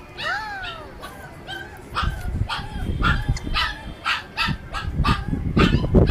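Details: Chippiparai dog at feeding time alongside a Kanni. Opens with drawn-out whining yelps that slide downward in pitch, then a quick run of short, sharp yips roughly every third of a second, over low scuffling noises.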